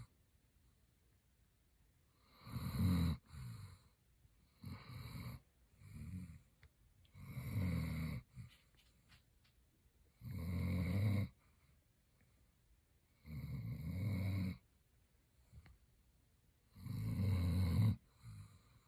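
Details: Roxy, a German Shepherd, snoring in her sleep; coarse low snorts recur roughly every two to three seconds, some shorter and fainter between the louder ones.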